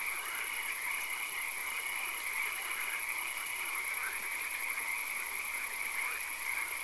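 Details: Swamp frogs at night amid occasional rain, calling together in a thick mass of fast, rattling croaks, some bursts louder than others, over a persistent high whine and broad hiss.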